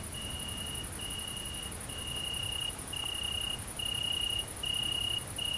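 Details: Tettigonia viridissima, the great green bush-cricket, at mating time in rural central France on 22 August 2016, keeps up a continuous very high sizzling trill, while a separate mid-pitched whistle-like tone repeats in short bars roughly once a second.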